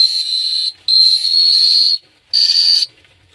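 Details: Cricket chirping at night in Phteah Prey: a steady, high, pure trill in three long bursts separated by short silent gaps, with a clean, quiet background.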